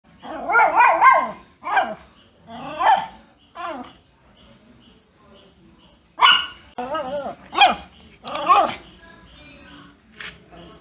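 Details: Miniature Pinscher dog barking angrily in short harsh bursts, several clustered at the start, then scattered single and double barks with quieter gaps between.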